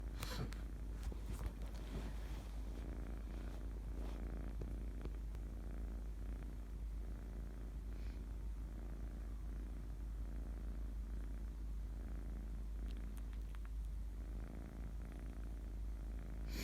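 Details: Kitten purring while asleep: a steady low rumbling purr throughout, with faint soft clicks and rustles over it.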